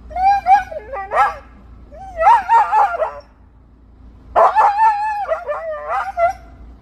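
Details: Expressive Siberian husky sounding off at a squirrel that stays up the tree, giving repeated wavering, singsong yowls and yips in four phrases with short silences between.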